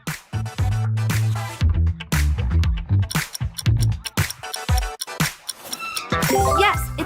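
Upbeat electronic music with a heavy bass beat and no animal sounds.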